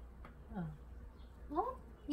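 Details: Pet cat Mame Daifuku complains that its automatic water fountain is not running. A faint short call comes first, then a brief rising, chirp-like meow near the end, heard in a quiet indoor room.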